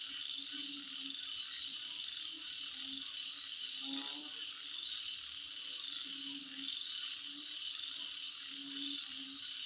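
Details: Insects calling at midnight: a dense, steady high-pitched buzzing trill with repeated short chirping bursts above it, while low, rhythmic croaking pulses sound intermittently beneath throughout.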